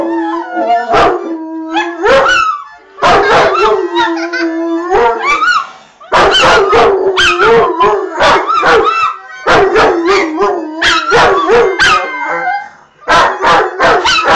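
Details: A Rottweiler howls in long wavering tones, rising and falling against steady harmonica notes, howling along with a fox terrier because a child is playing the harmonica.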